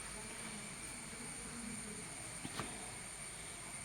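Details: Faint hiss and distant mechanical noise, with one brief click near the end and no animal voice.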